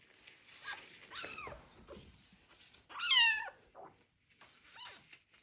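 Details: Abandoned kitten with ringworm protesting its first bath; a few bent, harmonic meows, one louder and higher at the midpoint, amid room noise and light splashing.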